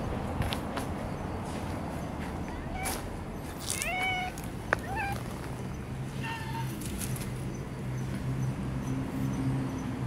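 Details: Domestic cats in a park, a long-haired brown tabby stray meeting a stray female kitten; a run of short, clear meows, some rising and some falling, mid-clip, then quieter, over steady low outdoor rumble and scattered clicks.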